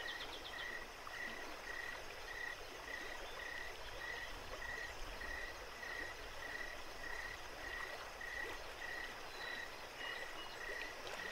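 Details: A cricket gives short, even chirps about twice a second on one steady mid-high pitch at night, over the constant rushing of Jacobs Creek.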